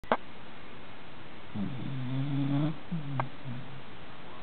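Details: American Cocker Spaniel snoring during an afternoon nap: one drawn-out, low rumbling snore with a shorter, softer snore after it, over a steady background hiss.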